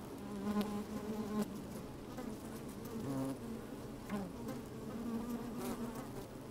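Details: Inside a hive opened on a sunny day, bees move about and buzz close to a microphone slipped among them; an even, low hum swells in short bursts around half a second, three seconds and four seconds, with soft rustling.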